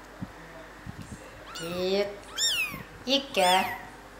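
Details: Kittens only three days old, with a four-month-old cat named Pilt showing interest, heard as a lower drawn-out meow then three loud high mews overlapping, arched and wavering, with soft voices and taps underneath.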